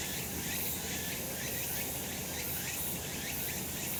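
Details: Cicada chorus on a sunlit summer mountain, a steady shrill buzz overlaid with rhythmic repeated pulses, plus a low constant background rumble.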